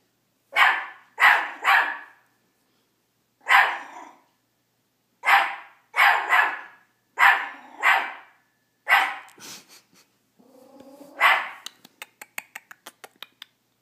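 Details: Teacup Miniature Pinscher Chomper repeatedly barks at his own reflection: runs of high, sharp yaps in pairs and triples, a low whine near the end, then a rapid series of clicking taps.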